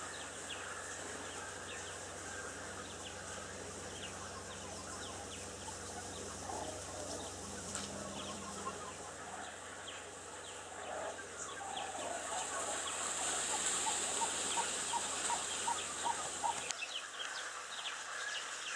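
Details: A banded mongoose family heading home at the end of the day at Mdonya Old River Camp in Ruaha, Tanzania, chatters with quick, repeated clucking chirps over a steady high insect hiss.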